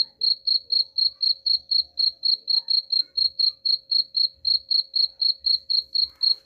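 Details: Cricket chirping, offered as a sound to drive rats away: clear high pulsed chirps repeated steadily about four times a second, each chirp a short buzzy burst, with a faint low hum and occasional soft thumps underneath.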